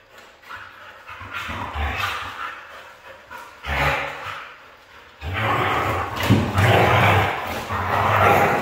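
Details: A red female Siberian Husky vocalizes in irregular, throaty bursts, rising to louder, drawn-out yowls near the end.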